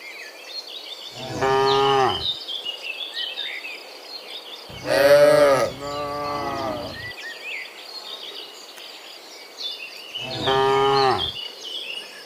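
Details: Dozens of cows walking home from the fields to the pen in the afternoon moo in long, deep, harmonic bellows, several separate calls a few seconds apart.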